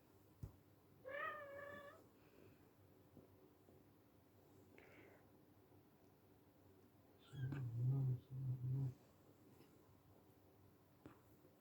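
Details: Silver Bengal kitten, a young pet, playing indoors; a short harmonic meow near the start, later low rumbling bursts, otherwise quiet room.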